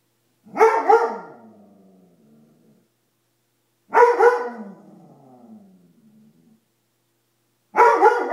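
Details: Dobermann afraid of a coat it takes for a monster, giving single loud, sharp barks spaced about three and a half seconds apart, each trailing off into a short falling, whine-like tail in an otherwise quiet room.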